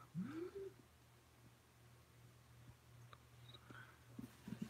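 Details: Domestic kittens in Alabama, filmed at home in close-up on 5/28/18 along with a tabby: one short, rising meow opens the recording, sliding upward then levelling off, followed by steady low room hum and faint scattered soft sounds.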